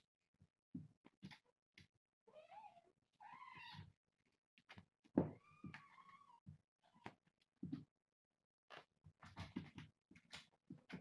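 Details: Four kittens playing and wrestling around a hammock and a cat doughnut toy indoors. Brief high meows with rising and falling pitch come between many sharp thumps and bumps of rough play.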